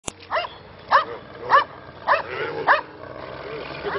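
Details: Anatolian Shepherd Dog (Kangal) barking as handlers hold it back: a sharp click, then about six short, rising-falling barks spaced roughly half a second apart, with low background rumble and men's voices nearby.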